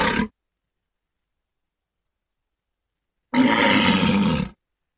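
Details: Walrus letting out a single gruff, broad roar lasting just over a second after a long silence, preceded by the tail of an earlier call.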